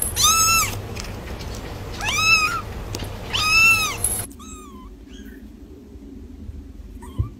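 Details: Three loud, arched kitten meows come in quick succession, a second or so apart, followed after a sudden drop in background noise by several softer, shorter mews.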